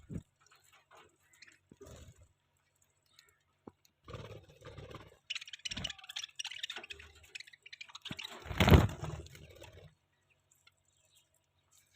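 Soft pecking, crunching and pattering noises in a small room, with no clear animal calls.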